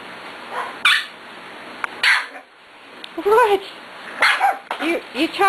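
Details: Six-week-old puppies at play indoors with a woman talking to them; short yappy barks and yips with rising and falling harmonic arcs, scattered through the clip between her words.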